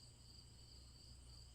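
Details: Repetitive cricket chirping, a continuous thin high-pitched trill with a second, higher shimmering layer and a soft low hum underneath; no other animals or speech are heard.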